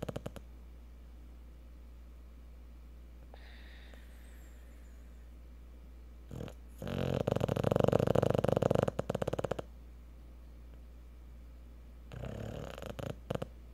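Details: A Cocker Spaniel, asleep after a hard day at the park, snores in low, rasping bursts, with quiet pauses between breaths.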